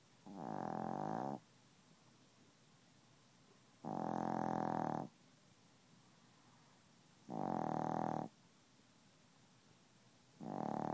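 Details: Chihuahua fast asleep indoors and refusing to wake up, snoring steadily; four loud raspy snores roughly every three and a half seconds, each lasting about a second, with low hiss between.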